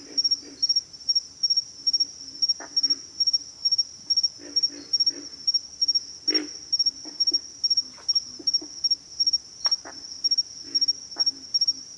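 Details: Pig frogs grunt in short, low, gravelly notes, scattered singly and in small clusters throughout, beneath a constant piercing drone of insects.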